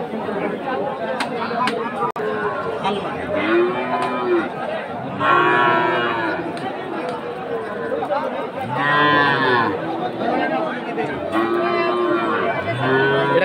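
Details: Friesian and crossbred heifer calves at Aftabganj cattle market, Dinajpur, Bangladesh, on 22 March 2023: several short, arching moos that rise and fall, spaced a few seconds apart, over constant crowd chatter and market noise.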